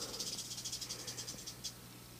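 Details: Captive-born female western diamondback rattlesnake, about three years old and 3 to 3.5 feet long, fairly tame, kept in a cage: dry, hissing, high-pitched rattling in rapid pulses, roughly eight per second, fading after under two seconds over a low steady hum.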